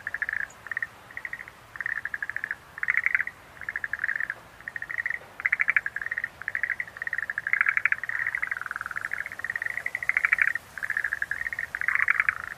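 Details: Schlegel's green tree frog calling in short pulsed bursts, rapid clicking trills repeated every half second or so, with several overlapping so the chorus runs almost continuously; quiet background otherwise.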